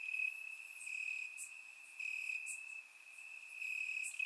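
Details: Warm summer night in Bulgaria, crickets in the grass: a continuous high-pitched ringing trill, swelling and fading in loudness, with short sharp chirp bursts recurring about every second. Surround-microphone recording.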